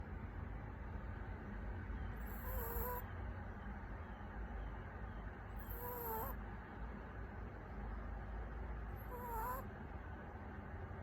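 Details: Haetbani, a puppy taking a daytime nap, snores softly: three squeaky, whistling nasal breaths, each with a slight upward then downward wobble, about every three and a half seconds over a steady low room hum.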